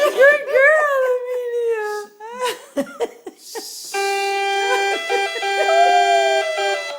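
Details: A Jack Russell Terrier howls at a passing ambulance siren, giving long, wavering, rising notes.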